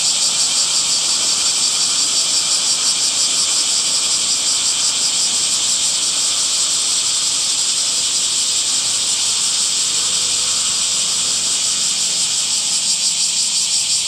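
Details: Continuous shrill cicada chorus of summer, a loud high buzz with a fine rapid pulsing texture that stays level for the full length, with a faint low hum in the background.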